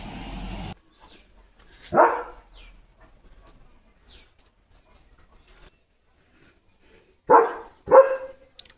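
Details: German Shepherd on evening guard duty at a farm, barking fiercely to protect his area: a single loud bark, a long quiet gap, then two sharp barks in quick succession near the end.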